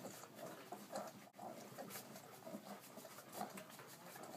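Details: Ten Irish Setter puppies at four weeks feeding from their mother Bella; small rounded squeaks recur over a constant mix of suckling, shuffling and snuffling noise indoors.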